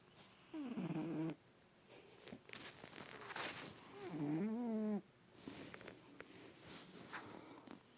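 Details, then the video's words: Pet cat sleeping in its owner's lap for the first time, snoring loud and twitching; two low, buzzy, harmonic snores several seconds apart, with soft rustling and handling noises between them. "kitty snoring"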